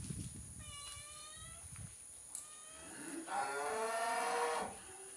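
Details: Cattle lowing on a ranch: a short tonal call with steady harmonics, then after a pause a louder, longer, broad-toned moo of over a second; a constant high hiss runs underneath.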